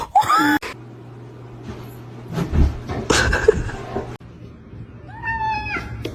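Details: Domestic cat giving short meows with rising and falling pitch, one at the start and another near the end, between them indoor room noise, a steady low hum and bursts of voices.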